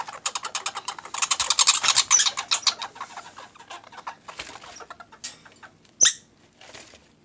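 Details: Orphaned squirrels kept together indoors, fed broccoli, give a rapid run of harsh pulsed chattering notes that fade and slow after three seconds, ending in a sharp squeak, with a person talking nearby.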